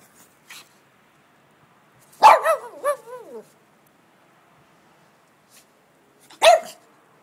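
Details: Shih Tzu dog running around wildly in snow, filmed 21 June 2011; a loud bark followed by a string of wavering, whining yips, then a single sharp bark after a pause, with faint rustling between.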